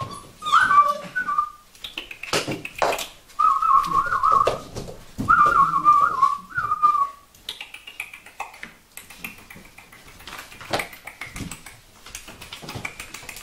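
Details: Vizsla puppies, Sejla, indoors, giving high, thin whining whimpers in wavering drawn-out bursts about a second long, several in a row, then quieter fading whines, with thumps and handling noises between.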